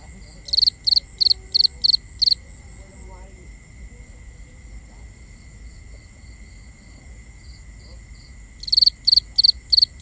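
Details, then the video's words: Binaural night recording of crickets: five evenly spaced, sharp, pulsed chirps open the clip, then a long quiet gap with a thin continuous high drone, before another rapid series of five chirps closes it. "Cricket Conversations | Binaural Nighttime Ambience"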